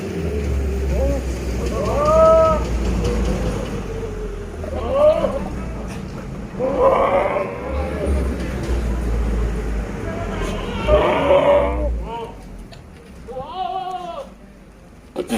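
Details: A big male Sirohi goat at a goat farm in Pushkar, Rajasthan, gives short, wavering, nasal bleats over people talking and a low engine rumble.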